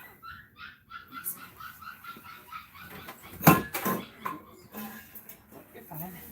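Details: Cane Corso crying while another dog, Cashmere, is in labour: a quick run of short, high, tonal whimpers for about two seconds, then a person talking and a sharp knock.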